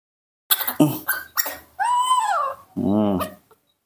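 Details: In the morning, a hungry baby monkey gives high, wavering screams, impatiently begging for milk.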